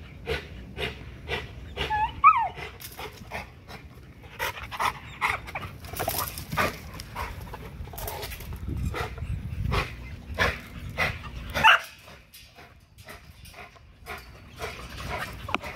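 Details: XL American Bully pitbull exercising on a spring pole to build muscle and drain energy, breathing in quick uneven huffs with a brief rising whine-like note early on, then softer, more irregular panting.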